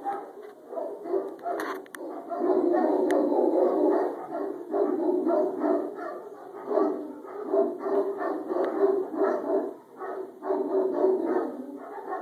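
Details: Several Caucasian Ovcharkas at a kennel in February 2012 bark behind a sliding door: deep, overlapping barks in a dense, nearly continuous chorus over twelve seconds, rising and falling in waves.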